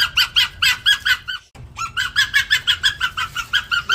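An Arctic fox gives a fast run of sharp, high, harmonic barks, about four or five each second.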